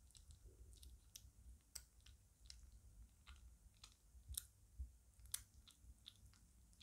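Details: Lucy, a five-week-old female British Shorthair kitten and a big eater, chewing her food indoors: crisp, irregular crunching clicks, several sharper bites standing out, over a low steady room hum.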